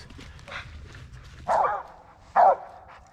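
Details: Two loud, harsh barks about a second apart from a Mountain Cur squirrel dog hunting in walnut and hickory woods at the end of the day, over faint rustling.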